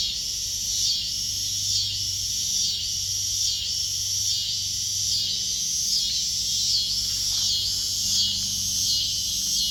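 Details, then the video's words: Cicada chorus in a backyard with kittens nearby: loud, high, rasping buzz pulsing in regular waves roughly every second, steady throughout, with a light low rumble underneath. "Cicadas singing to the kittens in backyard"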